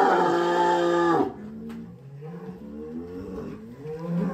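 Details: At a cattle contest held in a pen, one of the big contest cattle lets out a single strong, steady moo lasting just over a second, then fades into quieter talk and music.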